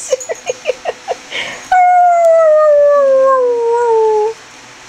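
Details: A pet greyhound roos indoors: a run of quick sharp yips, then one long, smooth howl that slowly falls in pitch for over two seconds before stopping.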